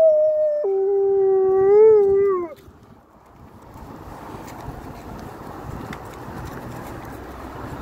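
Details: Alaskan Malamute on a noon walk, howling at a passing ambulance, the first and shortest of its howls as three ambulances went by within five minutes; one steady, smooth howl lasting about two and a half seconds, stepping down in pitch early, then fading into broad street noise.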